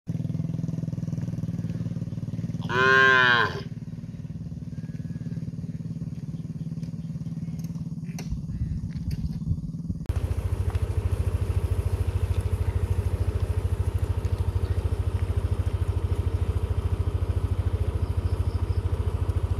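A calf gives a single loud, drawn-out moo, arching up and falling, calling for its absent mother.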